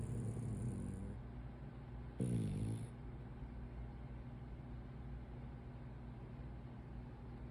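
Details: French Bulldog, a short-nosed breed, snoring through a daytime nap: steady low droning breaths with a brief louder, buzzy rattling snore a little past two seconds, and an intermittent thin high tone behind it.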